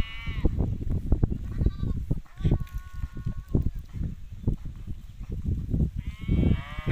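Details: Hissar sheep rams bleating amid steady low rumbling and thumping noise: a short bleat at the opening, a flat, sustained mid-pitched call in the middle, and a louder, quavering bleat at the close.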